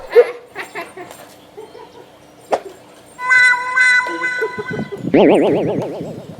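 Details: A Labrador Retriever, seeing a guitar for the first time, gives short yelping barks, then a loud wavering howl over a few guitar notes.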